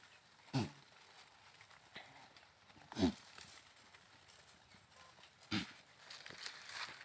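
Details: Sirohi goat giving three short, low, wavering bleats spaced about two and a half seconds apart, with faint rustling and quiet background noise between calls.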